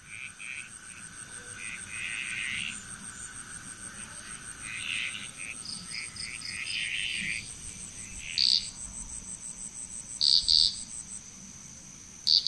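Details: Frog chorus recorded in Bali, Indonesia: overlapping raspy croaking bursts around mid-high pitch, joined from eight seconds by loud short doubled chirps, over a steady high insect whine.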